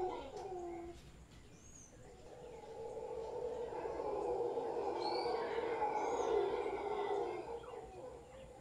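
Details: Large troop of howler monkeys in a tree in front of a property in Guanacaste, giving a deep, sustained roaring chorus that swells from the second second and holds steady to the end, with faint bird chirps above.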